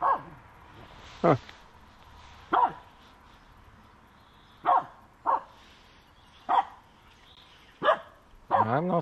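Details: Finnish Spitz Aamu barking at a squirrel that moved, late in the walk: loud single barks at uneven gaps of about one to two seconds, a person talking in between, ending in a wavering whine.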